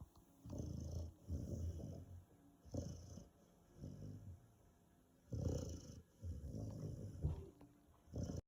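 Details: A sleeping 5-month-old Rottweiler puppy snores heavily. Each breath is a low, rattling rumble followed by a short quiet gap, coming steadily about one or two per second with nothing else competing.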